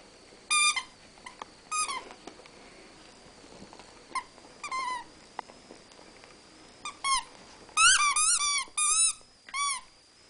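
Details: Rat Terriers Newton and Twinkie tussling inside the house; isolated squeals at first, then a dense run of arched, repeated squeaks before fading.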